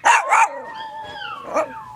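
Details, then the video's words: Chihuahua dog 'singing': two quick sharp yips, then a thin, steady, slightly wavering howl with a brief yelp partway through. "Chihuahua singing funny"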